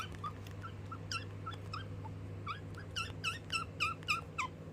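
A guinea pig chirps in quick, bird-like bursts, a sound of fear, over a steady low hum.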